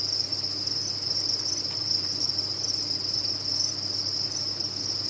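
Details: Crickets kept on a cricket farm, recorded for tinnitus relief, form a dense, unbroken high-pitched chirping chorus that holds one steady shrill band throughout, over a faint low hum.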